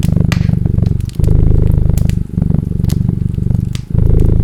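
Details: Steady low purr of a cat, rhythmic rumbling phrases of roughly one second each with quick breath gaps, over crisp crackles from a burning fireplace.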